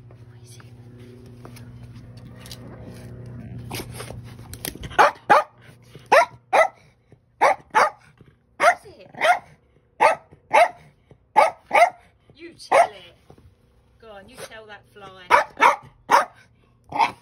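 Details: Pablo, a pet dog that is half Bichon Frise and half Cairn Terrier, barks while picking a fight with a fly: after about five seconds of low background hum, a run of sharp, evenly spaced barks, roughly one per half second, with a short pause near fourteen seconds.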